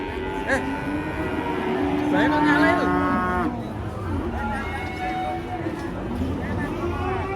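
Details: Enraged cattle coming down off a truck in Indonesia bellow a long, strained moo that bends downward midway, followed by shorter lows, over a rumbling background with human voices.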